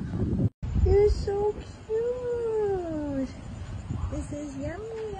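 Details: Ownerless street cats and kittens being fed in the city across from Pan Tower: a series of short meows, then a long drawn-out bending meow, followed by quick rising and falling mews, amid traffic rumble and a woman's voice.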